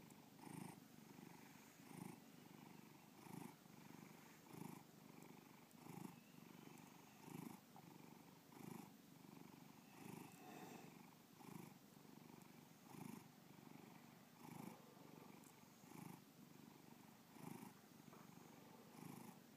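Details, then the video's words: Domestic cat Bubba purring contentedly indoors; long even rumble with rhythmic inhale-exhale swells repeating about every 1.4 seconds, roughly fourteen cycles, nothing else audible. "Bubba Purring"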